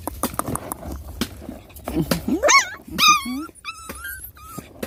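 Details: Puppies nursing from their mother: a burst of high, sliding whines that rise then bend downward in quick succession, with soft clicks and shuffling before and after.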